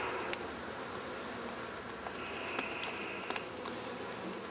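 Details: Testy bees filling a hollow stump, recorded in 2011 before their hive was cut from the tree: continuous low, even buzzing of many insects, broken by occasional sharp ticks and a brief higher whine midway.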